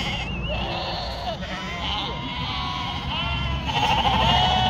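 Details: Sheep on a northern Spanish farm with a struggling yearling ewe; wavering bleats, some with a warbling quiver, overlap and grow louder toward the end, over steady low noise.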